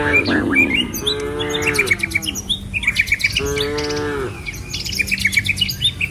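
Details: Cattle herd moving down a village road lined with trees and rice fields: two long, layered lowing calls in quick succession, set against a busy chorus of high bird chirps and a faint low hum.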